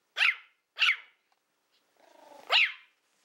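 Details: Small Toy Fox Terrier named Willow, a female born in April 2012, at play with a pig's ear: two piercing high yaps, a brief pulsing growl, then another sharp yap.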